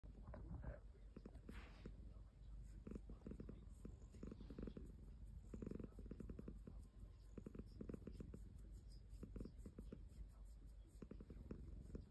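A Ragdoll cat purrs steadily, a low, rumbling vibration that pulses with each breath.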